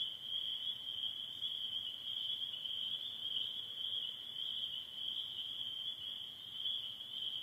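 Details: At dusk in spring in northern Michigan, during the last days of the season, a dense spring peeper chorus of many high, piercing peeps blends into one steady, ringing shrill with no break or change in pitch.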